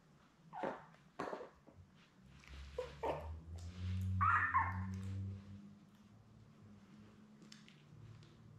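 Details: Newborn Labrador Retriever puppies, a litter of seven born May 24, 2021, with their mother Belle, on a June 4 puppy cam indoors: a few short squeaky whimpers, then a louder drawn-out whining cry, over a low steady hum.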